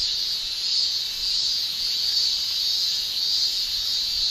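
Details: Continuous high-pitched shrilling from male cicadas in summer in Japan, made with the tymbal; a thick, even drone with soft ripples of intensity and no other voices.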